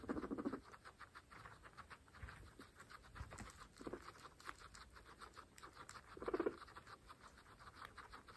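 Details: Domestic pregnant guinea pigs, part of a herd of 26 females, eat fresh grass. Quick, dense crunching bites run continuously, with a few louder low grumbling bursts near the start and again around six seconds.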